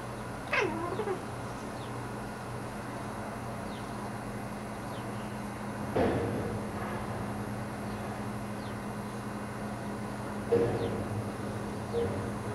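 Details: Pet cat Salomon talking to the birds outside a window: a short, sliding, wavering meow near the start, then brief chirping bursts about six and ten seconds in, over a steady low indoor hum.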